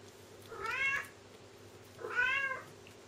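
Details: Bengal kittens, twins; two clear, drawn-out, rising-then-falling mews about a second and a half apart in a quiet room.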